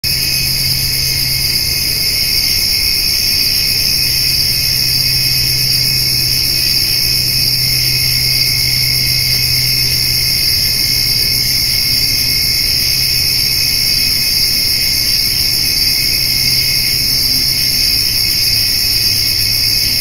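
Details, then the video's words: Crickets calling on a summer evening near a white-tailed doe and fawn eating hay, with grasshoppers also present; a steady, unbroken high buzzing drone layered in several shrill bands, plus a faint low hum underneath. "Summer Evening with Cricket and Grasshopper Sounds"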